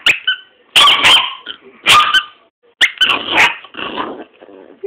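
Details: Dog barking for the first time, loud bright barks about once a second in short bursts, with a person's voice faintly mixed in.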